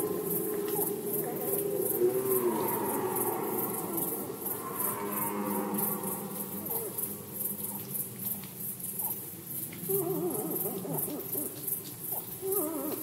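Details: Rutting red deer in Poland in 2020. Moderately loud, drawn-out harmonic moans rise and sag near the start, then return after a lull. A low rumbling background and a regular high pulsing tick run throughout.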